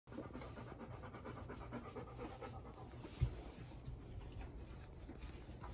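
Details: Golden Retriever Bis, Ibuki's four-year-old daughter, filmed the day after arriving on 21 September 2021 and meeting Kohaku and Ibuki, somewhat tense; soft, rapid, even panting breaths run through the whole stretch against a quiet indoor background.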